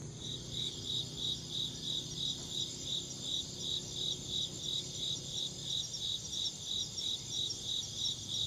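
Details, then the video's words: Insect chirping: a steady high-pitched pulsing trill, short chirps repeated about three times per second in an even rhythm, with a faint low hum of background noise underneath. "Insect chirping sounds"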